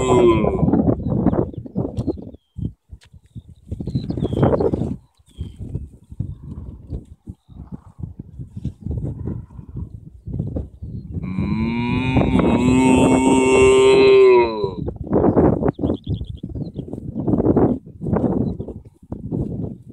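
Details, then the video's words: Cattle in a field in Ireland, approached by a person. Midway, one drawn-out, harmonic moo lasts about three and a half seconds, swelling and then easing off. Before and after it come irregular rustling, thudding and trampling sounds. "Talking with cows"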